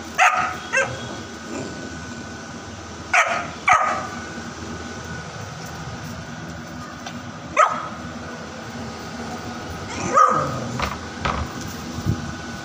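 A Bullmastiff puppy gives sharp, yelping barks in short bursts, some paired, against a faint steady hum.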